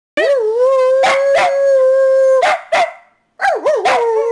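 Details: A dog howling indoors in a quiet room: a long, steady, mid-pitched howl held for over two seconds, broken by sharp yipping bursts, then a wavering howl that warbles up and down.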